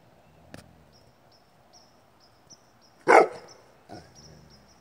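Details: Great Pyrenees from the pair Moose and Molly giving a single loud bark with a short fainter one after, over a quiet background with faint high ticking.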